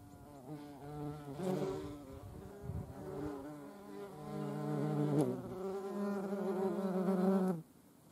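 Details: European hornet in flight, a low droning buzz rich in overtones that wavers in pitch and loudness, swelling toward the end and then stopping abruptly.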